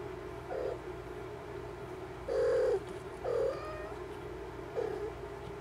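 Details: Mother cat checking on her kittens, giving four short, mid-pitched meows spaced unevenly over about five seconds, the second the longest, against a constant low mechanical hum.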